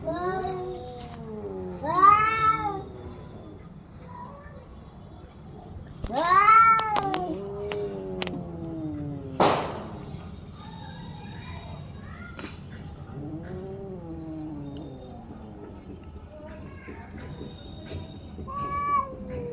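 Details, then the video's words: Orange and white domestic cat producing several arched meows and longer yowls spaced by quiet stretches, including a loud wavering call in the middle, a brief noisy burst, and softer calls toward the end. "cat funny sound"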